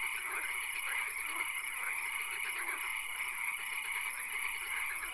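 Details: Nighttime swamp frog chorus: a continuous wall of overlapping croaks and low pulsed calls beneath constant high-pitched droning, with no quiet gaps.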